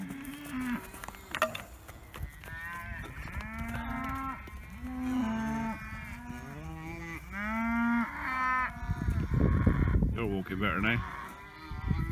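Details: Dexter cattle bored of their grazing sing for new grass early in the morning; a herd lows in overlapping, rising and falling moos of about a second each, ending in louder rough bellows.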